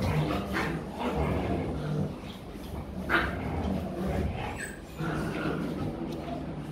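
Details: In Vietnam, Rottweiler pups wrestle and nip at each other during play. Rough growly grumbles and a few sharp yelps sit under steady background murmur and human voice.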